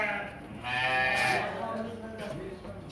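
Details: Hisor breed sheep, ewes and rams kept for sale; one drawn-out, wavering bleat in the middle, with a man talking before and after in a noisy outdoor pen.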